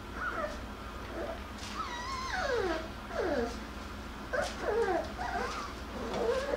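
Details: Several Jackabee (Beagle and Jack Russell cross) puppies, Miss Sansa's litter, playing and wrestling indoors; high whining cries sweep downward in pitch, with squeaky yelps overlapping in bursts across several seconds.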